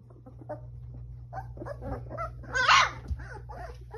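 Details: Newfoundland puppies give soft, scattered whimpers and small squeaky yelps, with one louder, higher whining cry near the end over a steady low hum.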